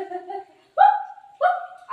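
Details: Indoor Shih Tzu pestering its owner while she eats mango, giving high, tonal whining yelps that rise and hold briefly, three short cries in two seconds with pauses between.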